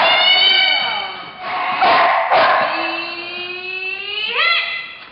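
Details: Female Staffordshire Bull Terrier at flyball practice, not yet ready to race in tournaments, giving a long, high, strained whine that wavers for about five seconds, broken by two short harsh bursts midway and ending in a sharp upward sweep.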